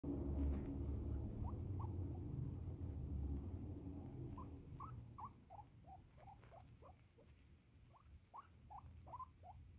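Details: A pet female guinea pig, being petted and needing to pee, gives a run of short rising squeaks, quickening to about three to four per second, over soft rustling from handling.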